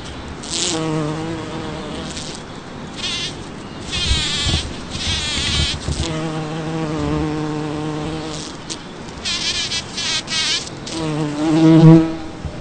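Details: In a Toronto, Ontario back yard on June 5, 2010, a bumblebee working a blooming Champlain rose gives a low, droning buzz that comes and goes as it flies close, then drifts away.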